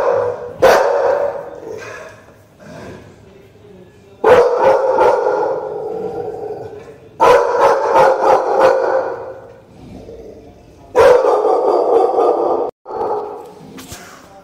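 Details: Two American Pit Bull Terriers barking in bursts: clusters of loud, harsh barks around 4, 7 and 11 seconds, separated by quieter stretches with softer growling tones, plus a sharp single bark near the start.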